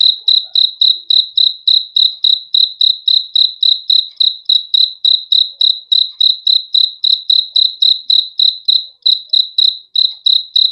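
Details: Single cricket chirping continuously, sharp high pulsed notes at a fast even pace of roughly three and a half per second, with only a tiny break near the end; quiet background.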